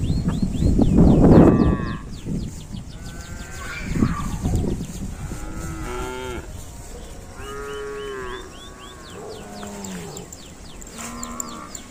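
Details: Cattle calling in a group of cows described as making strange sounds: several low, drawn-out moos with rich stacked harmonics, some rising and falling, overlapping one another, with a loud low rumble near the start and faint background music.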